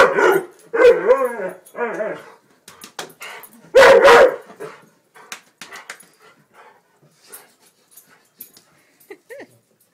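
A Weimaraner gives harmonic, wavering barks and groaning yips, with one loud burst near the middle.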